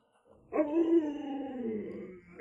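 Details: Alaskan Malamute Lolo, at home and urged to come back to the city, gives one long, steady, wavering howl-like moan that slowly sinks in pitch. It starts after a brief quiet moment.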